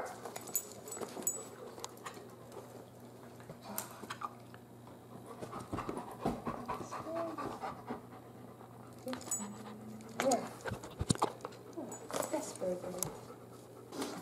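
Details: Great Pyrenees puppy Biscotti, a female almost three months old, panting in quick, breathy, uneven bursts at home, with scattered clicks and knocks and a few faint human words in the background.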